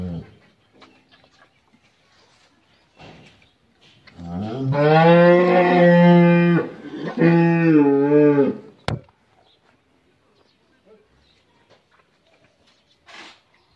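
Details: Loud, drawn-out lowing from a Friesian dairy cow, kept with her bull calf in Pabna, Bangladesh: one deep moo rising in pitch, a brief break, then a second moo, with a sharp knock and a few words of speech afterwards.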